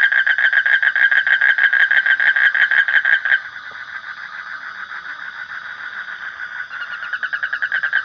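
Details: Frog calling in a fast run of harsh, pulsed croaks, about three per second and strongly harmonic, softening into a quieter, blurred stretch midway before the loud pulsing returns near the end.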